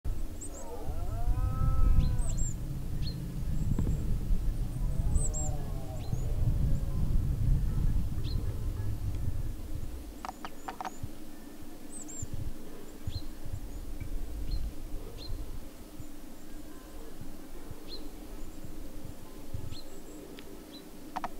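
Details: A huge red deer stag with its family in the middle of a forest gives deep, drawn-out bellowing roars during the rutting season, with faint high bird chirps behind.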